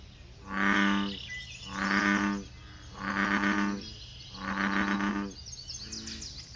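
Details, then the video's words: Male American bullfrogs calling in a wetland chorus by the South Boardwalk at Magee Marsh on May 23, 2018: deep, resonant baritone croaks in a steady series, about one every second. "American Bullfrog Magee Marsh 5/23/18"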